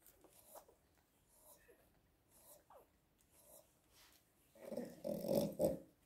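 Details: One-week-old Biewer Yorkshire Terrier pups make faint, thin squeaks and short falling whines spaced a second or so apart, then a louder cluster of nasal whimpers near the end, in a quiet small room.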